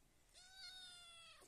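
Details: A single long, plaintive meow about a second long, level in pitch and then trailing downward, from a cat wanting to sleep with no companions around; a woman's quiet coaxing voice is nearby.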